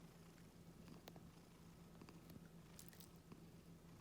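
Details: Pet Scottish Fold cat, calm and gentle, purring indoors while stroked on the neck and ears; a steady low rumbling purr runs throughout, with a few soft clicks and rustles of handling.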